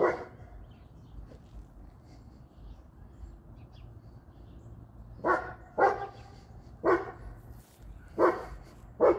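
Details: Barking from one of three dogs: a female brindle Boerboel aged 3, a male American Bully aged 9 and a young female brindle Serbian Defense Dog. One bark opens, then a long quiet gap before five gruff barks in irregular succession.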